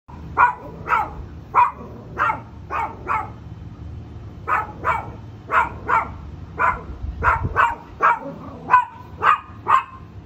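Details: Small dog in the United States barking at a bigger dog over a fence it cannot see past; sharp mid-pitched barks in quick pairs and singles, about twenty across the clip, with a low steady background rumble.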